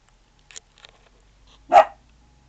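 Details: Sailor Bear, a 4-month-old puppy, guarding indoors against the garbage man; one short, sharp bark after a few faint clicks and taps in a quiet room.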